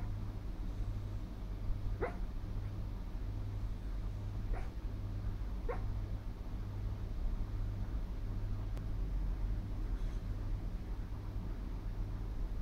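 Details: Dreaming in her sleep, a female Miniature Schnauzer lets out three soft, sharp yips about two seconds apart early on, then falls quiet against a constant droning hum.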